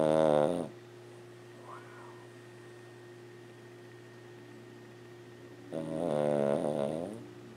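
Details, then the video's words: A 14-year-old female Lhasa Apso dog snoring loudly in her sleep; two buzzy, nasal snores about five seconds apart, the second wavering slightly, separated by near silence over a steady indoor hum. "Lhasa Apso Small Dog Snoring & Walking Dream"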